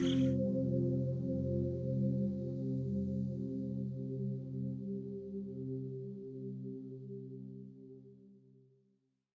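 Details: Sustained, fading ambient music tones resembling a singing bowl, with no animal sound heard.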